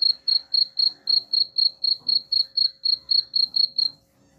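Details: Cricket chirping meant to scare rats away: bright, high pulses at a regular rate of about four per second for roughly four seconds, then stopping into near silence with a faint hum.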